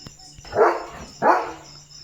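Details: Leo, a German Shepherd, out in open countryside, running and playing with his owner: two short, full barks about 0.7 seconds apart, with a faint steady high-pitched tone running underneath.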